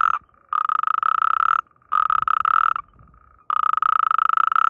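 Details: A natterjack toad (Epidalea calamita) in breeding season, with mating and amplexus, gives loud, rattling croaking trills, each about a second long, with short pauses between.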